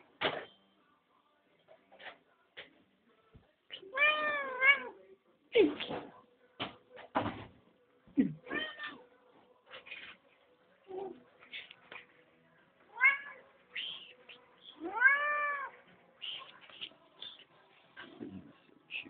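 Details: Male domestic cat meowing noisily at dinner time, wanting food and conversing with its people; a series of short calls and two long arched, wavering meows around the middle and near the end, with people talking in Spanish.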